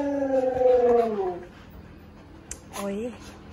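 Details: Siberian Husky indoors, given boiled eggs as a treat and eating them shell and all. It gives a long, steady, slightly falling howl-like vocal tone lasting about a second, then a brief pause, a click, and a shorter rising-then-falling whine.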